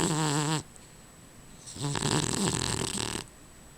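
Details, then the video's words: Sleeping dog Rufus gives a short wavering snore, then after a pause a longer, harsher rasping snore lasting about a second and a half. "Rufus The Snoring Dog"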